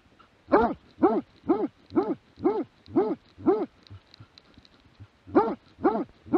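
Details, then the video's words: Steady barking from a Plott hound, 2017: eight even, hoarse barks about two per second, a pause of over a second, then three more at the same pace. "Plott hound"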